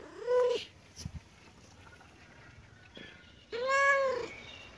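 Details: Kitten and cat playing together in a happy mood; two clear, tonal meows, each rising then falling in an arch, the first short, the second longer, separated by a few soft knocks and rustles.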